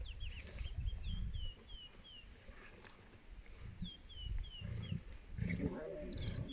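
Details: A lion of a pride feeding on a buffalo gives deep, rumbling contact calls from a distance at MalaMala Game Reserve, South Africa, while a bird whistles short falling notes.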